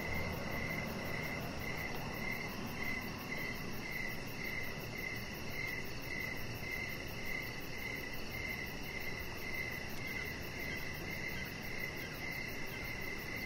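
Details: Evening crickets outdoors, a continuous run of rapid, high, pulsed chirps with a fainter shimmering trill above and a steady low hum underneath.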